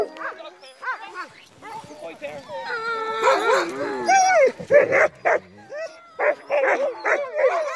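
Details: Crossbred husky mixes pulling a sled on a night run in heavy snow, trotting while the musher brakes; wavering, rising-and-falling howls and short yips from several dogs overlap, with grinding brake noise and a human voice.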